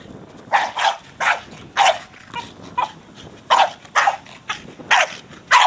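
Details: Brogan, a 4-year-old Staffordshire Bull Terrier, barks while playing with his big hard plastic ball; short sharp barks come in bursts roughly every half second to second, about ten in all.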